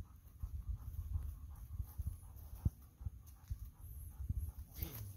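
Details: Golden Retriever panting while the pair of pets Kohaku and Bis cling to a visiting girl: rapid, rhythmic low breathy pulses, several per second, with a few louder thumps and brief rustling near the end.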